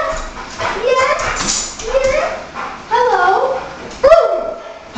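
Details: Alaskan Malamute, female, learning doggy freestyle dancing for a dog competition, wanting her treat: drawn-out whining and yodel-like howling vocalisations, rising and falling, several long phrases, with a woman talking to the dog.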